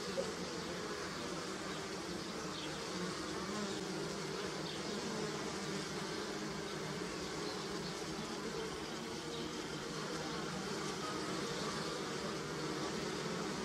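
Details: Bees buzzing on pussy willow: a steady, dense, low hum with rich overtones that continues without a break throughout. Faint, brief higher whines drift above the drone.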